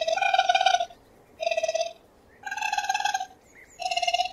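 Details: Raccoon calling with tremulous, quavering tonal notes rich in overtones, four bursts each under a second long with short silent gaps between them.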